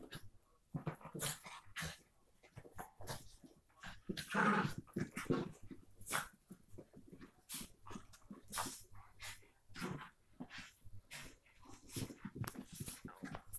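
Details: Two Miniature Pinscher half sisters growl, yip and snort in short, rough bursts while playing together.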